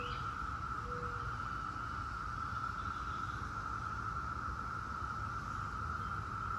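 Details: 17-year periodical cicadas of Brood X in a steady, unbroken droning chorus, a sustained high buzz holding one pitch throughout, with a brief low whistle near the start and faint rumbling background noise.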